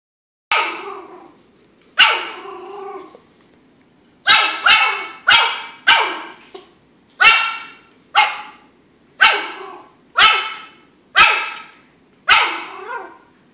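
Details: Eleven-week-old Yorkshire Terrier puppy named Chester fighting a rope toy indoors, giving about ten sharp, high-pitched yappy barks in uneven bursts, some doubled in quick succession, with short quiet gaps between them.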